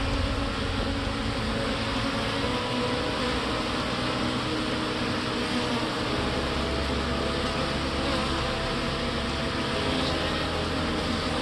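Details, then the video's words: Many young honey bees leaving the hive on orientation flight, circling in widening loops to learn their home location; a dense, steady buzzing hum fills the whole recording with a low droning undertone and no pauses. "bees performing orientation flight to set internal gps"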